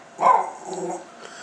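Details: Silky Terrier dog almost talking while asking for food: one drawn-out, wavering moan that starts loud and fades over about a second, indoors, followed by quiet room sound.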